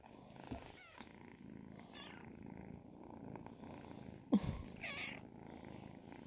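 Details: Indoors, Ragdoll kittens aged ten and twelve weeks purr in a quiet continuous low rumble, broken by a few light clicks and one sharp knock partway through.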